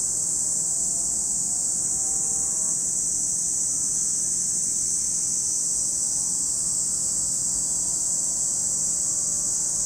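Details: Cicadas at Lake Kamo in Sado City, Niigata Prefecture, Japan: a dense, unbroken high hiss holds steady throughout, with faint wavering tones lower down in the background.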